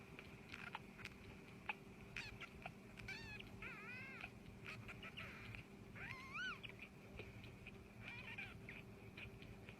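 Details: Pet cat indoors giving several short, wavering, rising-and-falling meows over a steady electrical hum, with a few faint clicks between calls.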